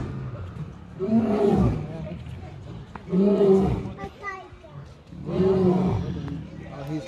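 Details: Huge lion roaring: three deep, drawn-out grunting roars spaced about two seconds apart, while people talk throughout.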